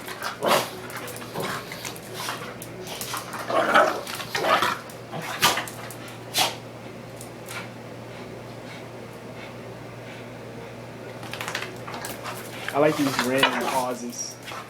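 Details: Two pet dogs, a pug and a young pitbull/ridgeback mix, boxing in play fighting; short scattered barks and yips in uneven bursts, a quiet pause, then a rising harmonic whine-growl near the end.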